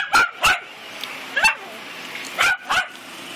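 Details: Two-year-old female mini Dachshund swimming in her pool, giving six short, sharp yipping barks in uneven pairs about a second apart, with faint water noise between.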